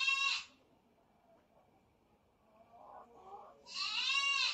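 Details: Fighting kittens, two brothers, letting out two shrill, harmonic-rich squeals at the start and end with faint scuffling between them.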